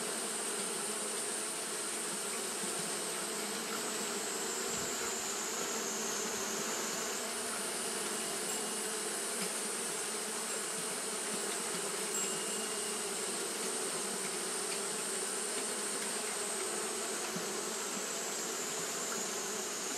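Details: Japanese honey bees fanning continuously on a hot day, making a steady dense hum of many wings with a low drone and a thin high whine running throughout, no pauses.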